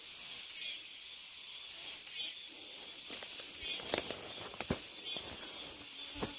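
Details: Cicadas deep in a mountain forest during a hike: a steady, hissing high-pitched drone with faint pulsing texture runs throughout, while crunching footsteps on the trail break in, loudest near the middle and end.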